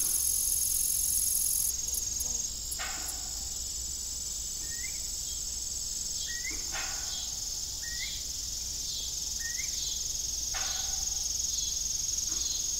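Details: Crickets in the evening on an old farm with a rusty windmill, chirping as a steady high trill; a small bird gives short rising chirps about once a second, and creaking knocks recur.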